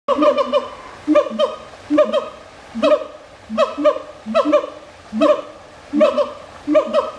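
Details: Siamang vocalizing: loud, rhythmic bursts of hooting, barking notes repeated roughly every second, each burst a quick cluster of harsh, rising-and-falling tones.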